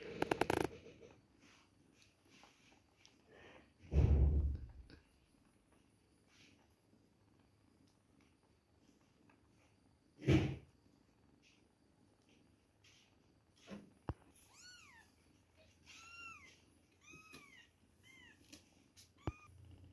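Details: Two-week-old kittens at milk time give a run of high, thin mews, each arching up and falling back. They come in quick succession near the end, after several loud thumps and handling noises earlier on.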